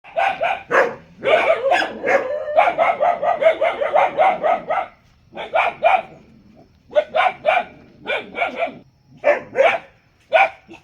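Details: Dog barking in rapid bursts of sharp, mid-pitched barks, some run together in quick series, others spaced with short pauses, continuing for about eleven seconds.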